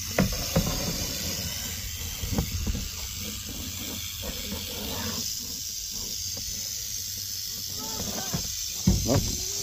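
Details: Western diamondback rattlesnake seen up close, giving a steady high hissing buzz of its rattle that runs unbroken through the whole stretch, with scattered low knocks and handling sounds and brief voices nearby.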